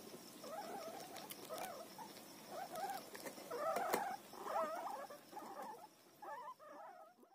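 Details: Guinea pig eating roti gives a run of short, wavering squeaks, each a quick warbling chirp, repeated roughly once a second over a steady low background hum.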